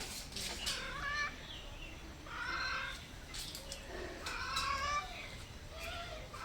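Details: Hungry stray cats meowing softly at a house, seeking food and a safe place; several short harmonic meows, some rising then falling, come in clusters over faint background noise.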